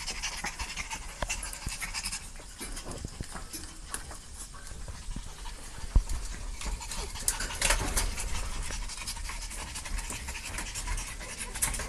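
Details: Dogs panting: quick, breathy bursts of soft broadband noise repeat steadily through the recording, with occasional sharp clicks and light rustling in the background.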